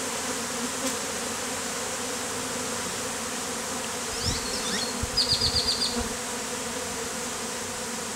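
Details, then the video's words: Beard of honey bees on a man's face, the colony taken from a statue, on a hot day; even droning hum throughout, with a short rapid series of high chirps and some low bumps near the middle. "BEARD OF Honey BEES"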